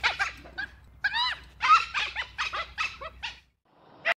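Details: Dhole (Cuon alpinus) giving a fast series of squeaky, arched yelps and chirps, about a dozen in three and a half seconds, then a brief silence and one final sharp cry.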